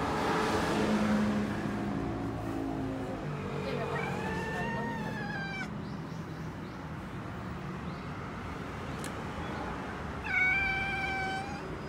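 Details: Nekota, a two-year-three-month-old male black cat billed as Okinawa's biggest, chattering at birds; soft rising-then-falling harmonic chirps around four seconds and again near ten seconds, over steady traffic-like rumble and faint speech.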